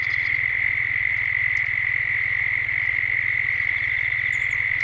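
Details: Dusk chorus of cicadas in Gippsland, Australia, recorded as a 3D ambience: one continuous shrill buzzing tone without pause, a throbbing low rumble beneath, and a faint high bird note near the end.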